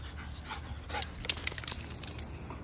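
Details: Rex, a 110 lb German Shepherd, worn out from running and playing with Mya, a 50 lb Belgian Malinois; quick breathy panting bursts cluster mid-clip over a steady low outdoor rumble.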